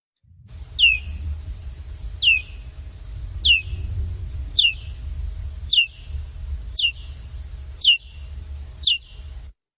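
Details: Big brown bat, likely from Maryland: echolocation calls slowed into hearing range, steep falling chirps peaking a little over 60 kHz, with a faint harmonic doubling. They repeat roughly once a second with clear pauses over a low rumbling hum.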